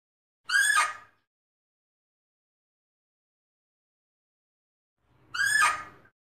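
Fea's muntjac giving two loud, harsh barks about five seconds apart, with silence between.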